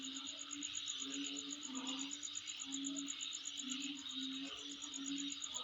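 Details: Insects calling at night near a home: a rapid, evenly pulsed high trill runs without pause over a steady buzzing chorus, while short low hooting tones come and go in the background.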